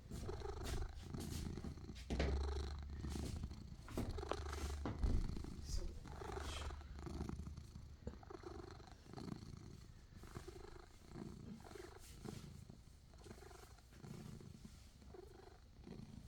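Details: Pet cat giving a long, steady purr, a deep low rumble pulsing evenly throughout, louder in the first half and softening later, with occasional faint clicks and rustles.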